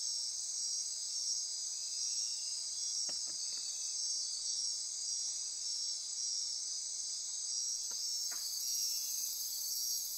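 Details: Nighttime insect chorus from the Osa Peninsula rainforest, Costa Rica, near Corcovado National Park: continuous shrill buzzing and trilling, broken by a few sharp clicks around three seconds and again near eight seconds.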